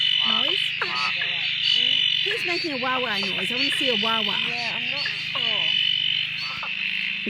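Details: Frogs at a dam near Drake, calling after steady rain ended days of silence; many overlapping calls that dip and rise in pitch, about four a second, over a continuous high trilling background.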